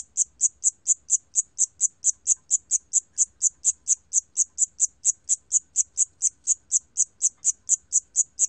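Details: Steady series of piercing, high-pitched chirps from a Siamese cricket, recorded in 2020 by the National Institute of Biological Resources, about two chirps per second with very even rhythm and no other sounds.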